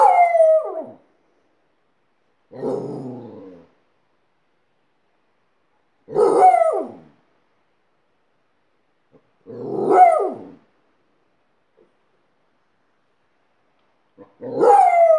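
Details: Alaskan Malamute howling alongside a second dog it taught to howl; several drawn-out, wavering howls that rise and then slide down, each lasting about a second, with pauses of a few seconds between them.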